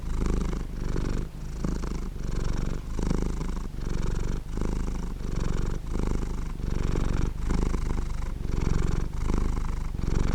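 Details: A cat purring continuously, a throaty vibrating rumble rising and falling in regular breath-length phrases of under a second, each separated by a quick drop in loudness, with no other sounds.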